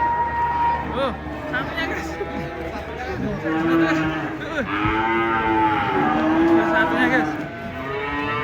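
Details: Large cows coming down off a truck during unloading, giving overlapping drawn-out moos that rise and fall, with human voices in the background.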